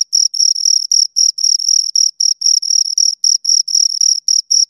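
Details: Close, loud chirps from two crickets: bright high-pitched bursts of varying length, roughly four per second, some merging into longer trills, against total silence.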